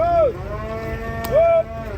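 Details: Cattle being unloaded from a truck: two short, falling calls about a second apart, each dropping quickly in pitch, with a faint engine rumble underneath.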